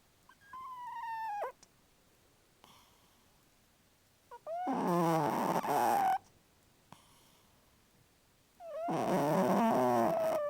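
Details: A pet cat asleep and dreaming, a vivid dreamer and loud snorer, lets out a drawn-out whining mew, then two longer buzzing, wavering murmured cries about four seconds apart, separated by near silence.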